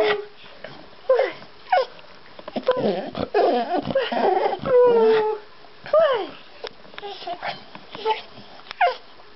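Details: Beagle howling from separation anxiety when its owners leave to check the mail, having run to the window; drawn-out wavering howls and yelps, partly overlapped by music and other noise.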